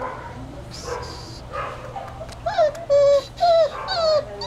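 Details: Hermes, a puppy at five to six weeks old, whimpering: faint breathy sounds first, then four or five high, thin whines in the last two seconds, each about a third of a second long, some bending down, one rising.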